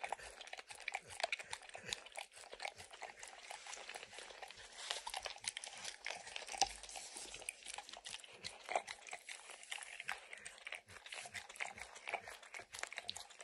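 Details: A dog licking and snacking on peanut butter and kibble stuck in an orange lick mat indoors: steady wet smacking and lapping with scattered crunches, no talking.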